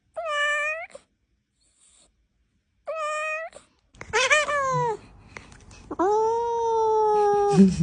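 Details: Pet cat meowing repeatedly: short clear rising meows separated by silence, then a run of quick falling mews and a long, level, slowly descending final meow.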